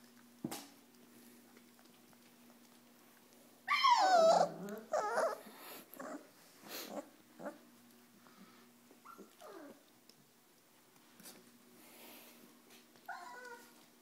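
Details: Four-week-old Pyrenean Mastiff puppies from Nikita de la Tierra Alta's litter at play: a loud whining yelp with wavering pitch near four seconds, then scattered short yips, small growls and whimpers, with quiet gaps between and a steady low hum throughout.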